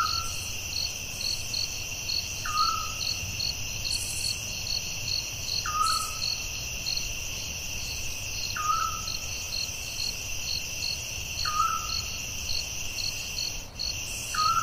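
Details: Crickets at night in the forest: a steady high pulsed trill with beats about twice a second over a constant shrill drone. A short descending hoot-like call repeats roughly every three seconds, with low background rumble.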